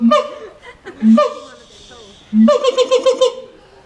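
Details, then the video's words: LA Zoo monkey in its cage: two quick low-rising calls, a quieter gap, then another call running into a fast stuttering series of pulsed notes. "monkey making funny sounds"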